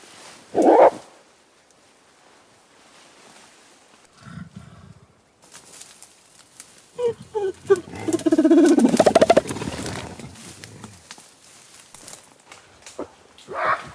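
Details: Gorilla grunting, panting, snorting and crying: one loud harsh grunt, low rumbling, then a rising run of rough pulsed grunts and strained cries peaking near the middle, fading into breathy panting, with a final sharp cry.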